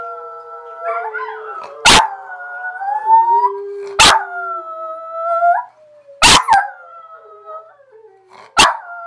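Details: Dog named Abby howls together with a second dog, their drawn-out wavering howls overlapping and gliding up and down, broken by four abrupt loud broadband bursts spaced roughly two seconds apart.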